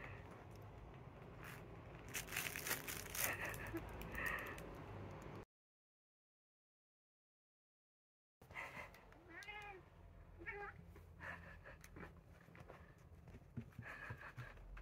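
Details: Two house cats, a black cat eager to play that keeps inviting and a brown tabby that does not want to move. After a silent break come two short meows that rise and fall, over steady background noise with faint music.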